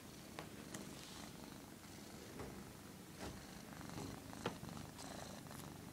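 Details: Pet cat that reportedly hates cameras purring close up, a continuous low rumble with gentle swells and scattered light clicks or rustles.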